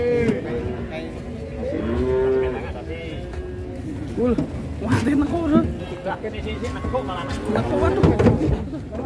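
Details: A cow in Indonesia, unloaded from a truck, goes wild and rolls over: repeated strained, wavering low moos and grunts, mixed with men shouting and talking nearby.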